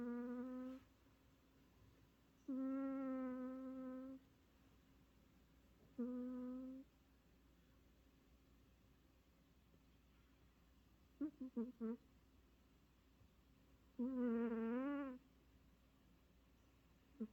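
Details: Haneul, a tired cat asleep indoors, snores in droning, steady tonal bursts of one to two seconds, spaced a few seconds apart. One burst breaks into quick stutters and another wavers in pitch. The room is otherwise quiet.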